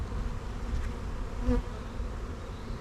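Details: Close, deep drone of honey bees in an open hive full of young bees during an apiary inspection, swelling briefly at mid-clip with a soft tonal buzz.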